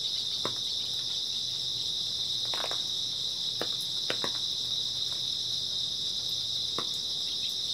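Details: Grass insects chirping on an early autumn night, a dense continuous high-pitched trill holding steady throughout, with scattered soft clicks and taps in the background.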